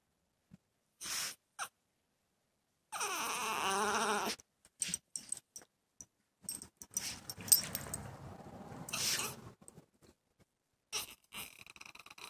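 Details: Male dog separated indoors from a female in heat: a short yelp, then a sustained wavering whine, followed by rustling, jingling and another brief whimpering cry near the end.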